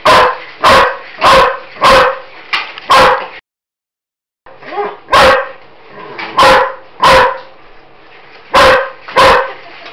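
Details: Loud German Shepherd barking at a Roboraptor toy indoors: a rapid run of five harsh barks, a brief silent gap, then a faint mechanical whir and more forceful barks in quick pairs.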